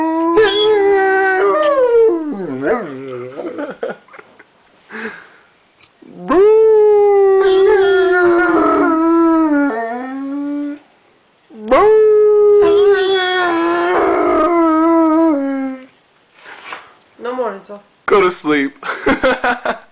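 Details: Debo, a three-legged Rottweiler and osteosarcoma survivor lying in bed, "sings" or cries in long, wavering howls starting high and sliding lower, broken by short yips and soft whimpers.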